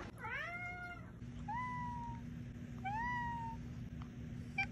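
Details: Pet cat giving three drawn-out meows, the first a rising-falling wail, then two shorter, smoother calls that slide gently down in pitch, against a faint steady hum.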